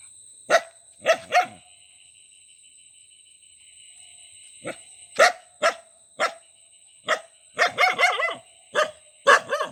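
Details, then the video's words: Dog barking in short sharp single barks and quick pairs, a pause of about three seconds, then a faster run of barks near the end, over a steady high-pitched electronic whine. "Dog Sound, Dog barking, bog bog bog"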